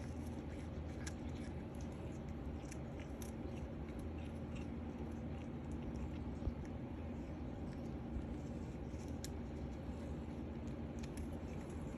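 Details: Soft crunching and scratchy clicks scattered over a low indoor hum, with no vocal animal sound.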